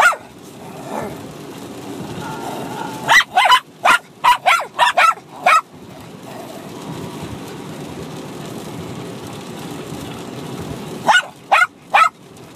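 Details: Six-month-old Bichon Frise puppy and older dog yapping at each other in play-fighting: a rapid burst of about eight high sharp barks, a long quiet stretch with low room noise, then three more yaps.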